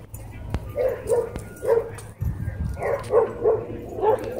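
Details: Dogs in a fight at a dog park, a small white dog attacking and biting a German Shepherd; short sharp barks repeated about once a second over a low rumble of people talking.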